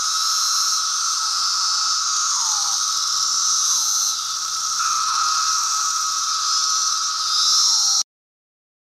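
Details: Periodical cicadas of the 17-year Brood II, Virginia, June, swarming apple trees in bright weather; continuous loud high-pitched droning chorus with rhythmic downward-sweeping whirrs recurring every one to two seconds, then abrupt silence.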